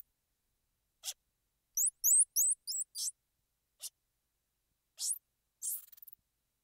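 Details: Squirrel monkey giving a quick run of high, upward-flicking chirps in the middle, framed by scattered sharp clicks and brief hissy bursts, with silence between sounds.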